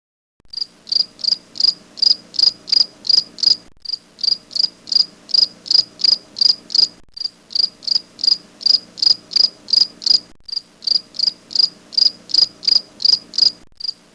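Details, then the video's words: Grasshopper calling with clear, high, pure-toned chirps, each a short burst repeated evenly about three times per second, with brief silent breaks every three seconds or so; a faint low steady hum runs underneath. "Adorable Grasshopper making sound"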